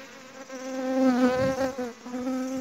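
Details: Honey bees droning during honey hunting at home: a steady, low buzz with rich overtones that swells in the middle and holds an even pitch for nearly three seconds.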